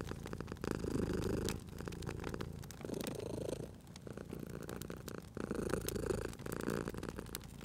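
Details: Domestic cat asleep by a crackling fireplace, purring in steady low rumbles that rise and drop with each breath, about three long cycles heard, overlaid by frequent crisp crackles and pops from the fire.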